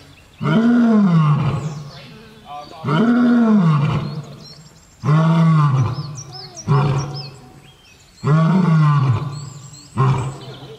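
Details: Lion roaring, which marks territory and keeps contact with the pride: deep, powerful moaning roars, each falling in pitch, repeated about every two seconds in a steady sequence of five, with quieter grunts between.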